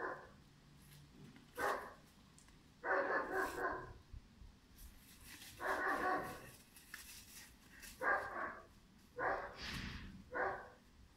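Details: German Shepherd puppy Pirat, aged five months, gives about six loud, rough barks at uneven intervals, some drawn out and some clipped short, with a faint rustle and clicks between the barks.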